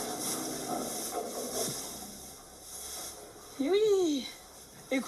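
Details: A Salers calf on a dairy farm in Cantal, France, where the cows give milk only with their calf present. After a stretch of a woman talking, the calf gives one short, rising-then-falling moo, with a brief second sound at the end.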